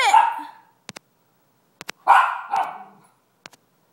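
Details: Lucy, a one-year-old Miniature Schnauzer, barks at a dog on the television indoors: two loud, harsh barks about two seconds apart, separated by sharp clicks and taps.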